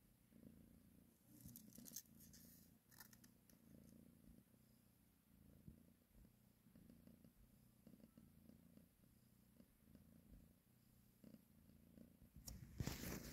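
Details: Mother cat purring as she nurses and grooms her kittens; soft continuous low purr pulsing about four times a second, with occasional rustles and a louder scrape near the end.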